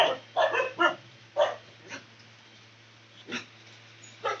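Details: Loud dog barks, sharp rough bursts coming irregularly, three quickly together at the start, then single barks spaced by pauses of up to two seconds.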